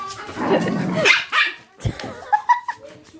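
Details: Dogs at play, giving short sharp barks and higher yips in quick bursts, with people talking in Korean close by throughout.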